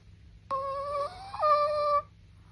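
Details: Soft, high, whistly Chihuahua snore in two linked parts: a steady squeak, a brief pitch jump, then a second squeak at the first pitch. The whole breath lasts about one and a half seconds in a quiet room.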